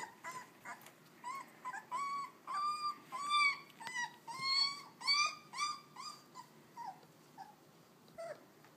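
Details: Puppies not even three weeks old whimpering, a steady series of clear, slightly rising whines with bright harmonics, building in the middle then thinning to a few soft squeaks, low room hum beneath.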